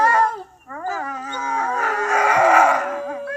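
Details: Wolves howling together: several overlapping tonal, harmonic-rich voices slide up and down in pitch, with a short dip near half a second, then merge into a dense, rough chorus before a single clear note holds at the end.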